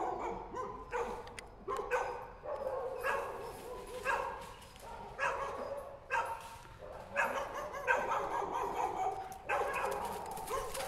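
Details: German Shepherd chasing monkeys, giving loud, harsh barks in uneven bursts roughly every second, some doubled, over steady background noise.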